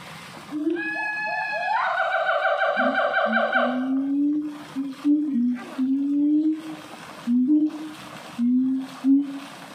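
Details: A siamang at a zoo in North Lombok, NTB, sings excitedly: a loud, harmonic-rich swooping call, then a run of repeated hooting notes.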